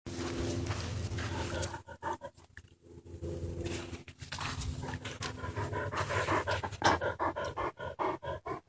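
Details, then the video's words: Dog drinking water from a pond: rapid, repeated wet lapping strokes, several per second, over a steady low background hum. "Dog Drinking Water From a Pond"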